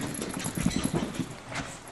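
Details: Lucy, a Shih Tzu puppy, playing wild and attacking on October 31, 2009: quick low rumbling pulses, about ten in under two seconds, over steady background noise.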